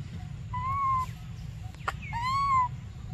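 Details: Baby monkey Briar crying for milk: two drawn-out, arched whistled cries, each about half a second long, rising slightly then falling, with a bright overtone above. A sharp click falls between them over a low background rumble.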